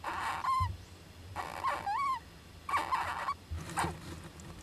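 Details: Young Japanese giant flying squirrel inside an owl nest box, 19 July 2010. Four clear calls about a second apart, each a tonal squeal with rising-and-falling harmonic sweeps and a noisy onset, over a steady low hum.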